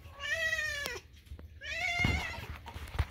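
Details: Kitten screaming at food time indoors, two long, loud, insistent meows about a second each, the second slightly rising, with clatter and background music.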